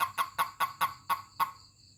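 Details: Toad giving a call when touched: seven short, harsh chirps repeated about every quarter second, fading out at the end over a constant faint hum.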